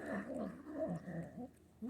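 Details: Young female Manx cat grumbling over her food as she eats, in short, rough, wavering growls broken by brief pauses, with a steady faint background tone.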